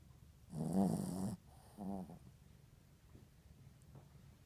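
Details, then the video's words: Yorkshire Terrier asleep indoors, giving one long rough snore followed by a shorter, softer one, low and grating, then faint quiet breathing. "Dog Snoring"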